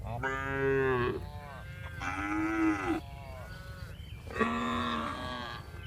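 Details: Tame cows being herded in the afternoon on a village farm as they return to the barn. Three long, drawn-out harmonic moos, each about a second, with the pitch bending down at the end. Quiet gaps separate them.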